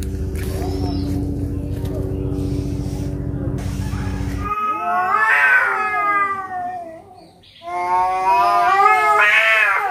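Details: Two cats fighting in rural Noldanga village: after a noisy stretch with low humming, long wavering yowls swell and fade in two drawn-out bouts, rich in harmonics and rising to shrill peaks.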